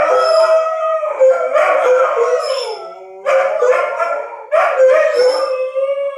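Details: Several dogs howl in response to a tornado siren test, long wavering tones sliding up and down in overlapping voices, swelling in three bursts with brief dips between.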